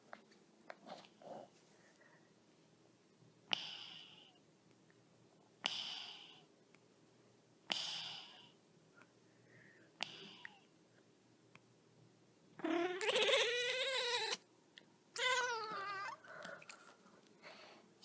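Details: Pet cat, woken from snoring, gives two long, strange, drawn-out meows near the end, wavering and harmonic-rich, after several short snorting breaths and sniffs; a person speaks briefly in Turkish afterward.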